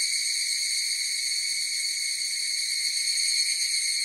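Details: Chorus of higurashi cicadas, a dense shrill hum of layered high tones that holds unbroken from start to end, shimmering slightly, with nothing else audible.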